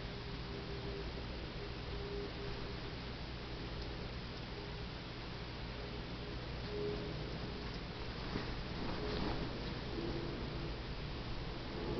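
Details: Quiet, even hiss with a faint steady hum and soft rustling near the end, with no animal voice standing out.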